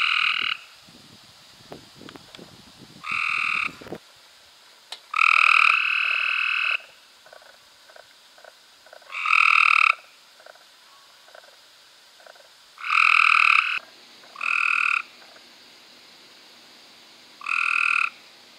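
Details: Cope's gray treefrogs in May 2016 repeat loud rasping trills about every two to four seconds, roughly seven bursts of fast pulses, some short and some over a second long, with quieter clicking between them.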